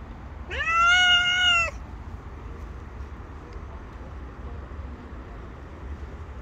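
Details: Stray tabby cat living on the street, gathered with other cats and demanding food: one long, clear, drawn-out meow with a slight rise then a level tone, followed by quiet outdoor background hum.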